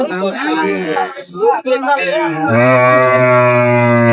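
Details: Cow at Ambari cattle market in Dinajpur on 23 May 2025, where cows are sold with their calves; men bargain in Bengali, then a long, steady, low moo rises above them and holds for nearly two seconds to the end.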